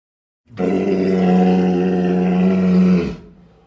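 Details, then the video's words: A walrus lets out one long, low roar of about two and a half seconds, deep and steady in pitch with strong buzzing overtones, rising in and fading out quickly. "walrus sounds"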